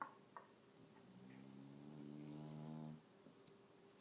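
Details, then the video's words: English bulldog snoring, one drawn-out buzzy, vibrating inhale lasting about two seconds, low and nasal, over a steady background hum. "Snoring bulldog"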